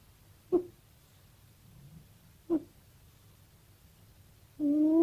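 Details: Cat asleep and dreaming: two brief, sharp chirping squeaks about two seconds apart, then a longer, steady, tonal mew-like cry begins near the end over a quiet, low indoor hum.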